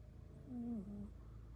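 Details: A single snore from a British Longhair cat, a low, flat nasal tone that dips briefly and then holds before fading, with a quiet humming background.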